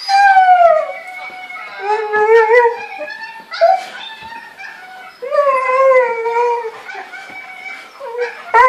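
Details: Siberian Husky named Aguero, lovesick and missing his mate while watching footage of himself mating, howling in long wavering mournful notes that rise and fall, several drawn-out howls with brief breaks, a person's voice faint in between.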